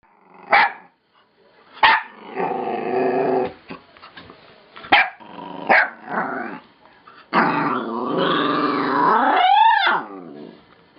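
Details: A puppy's weird, noisy yawn: short sharp yelps, then long groaning, harmonic sounds that are drawn out and stretch into a final rising and falling whine near the end. No other sounds intrude.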